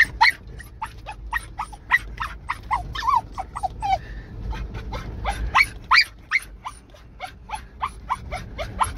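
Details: Russian Spaniel on a deer hunt, giving rapid high excited yelps and barks in quick irregular bursts, some notes bending downward, with a brief pause near the middle and faint background rustle.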